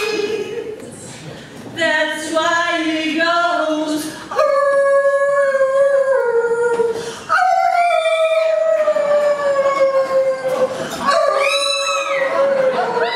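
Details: Chihuahua named Muscha singing along with her owner, drawn-out howls sliding gently downward, each phrase restarting after short breaks, mixed with the human voice in the opening seconds.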